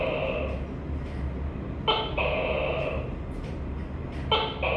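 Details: Two nasal two-syllable calls from a tokay gecko, a short bark-like note leading into a longer tone, with faint clicks and a low hum underneath.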